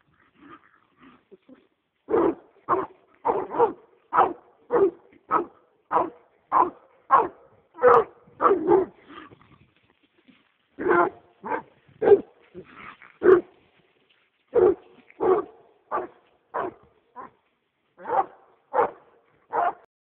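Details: American Leopard Hound on a roll cage, excited by a raccoon, barking in a steady series of sharp, loud barks about two per second, with a short pause midway before the barking resumes.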